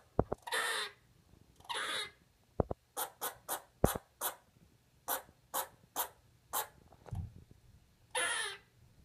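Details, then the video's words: Lexi, a pet squirrel indoors, finding her voice for the first time: short broadband chirps or clicks in an irregular run, mixed with a few longer breathy hissing bursts. "Lexi the Pet Squirrel fist words"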